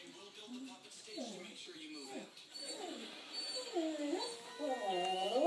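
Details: Quest, a pet Shetland Sheepdog, howling indoors after a family member left for the store; short wavering phrases that slide up and down in pitch, growing louder toward the end.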